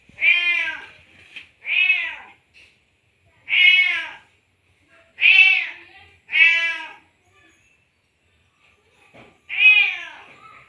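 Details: Tomcat in heat calling a female cat after mating, giving a series of six short harmonic meows, some paired, spaced one to three seconds apart with quiet gaps between.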